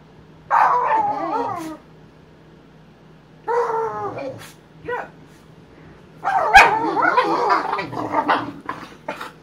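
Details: Boxer dogs Emma and Wyatt play fighting indoors; three bursts of harmonic, wavering growl-whines, each one to three seconds long, separated by quiet pauses, the last burst loudest and busiest.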